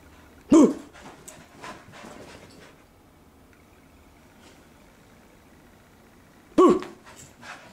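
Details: Soft-coated Wheaten Terrier at play gives two loud single barks six seconds apart, with soft panting and faint movement noises between them and a person's playful voice nearby.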